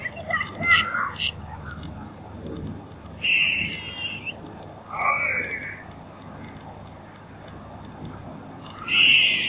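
A squirrel gives high, squeaky chirps and wavering squeals in short bursts, with a few rougher chattering notes.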